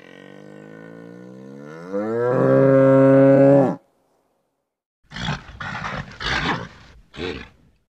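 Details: Nervous bull with a drawn-out moaning bellow that rises in pitch and grows louder before cutting off, followed by several harsh, breathy snorts.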